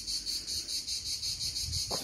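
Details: Cicadas singing on a hot summer day at an ancient hot spring site in southern Italy; a continuous shrill, high buzz swelling and fading about four times a second over a faint low rumble, with a brief voice at the end.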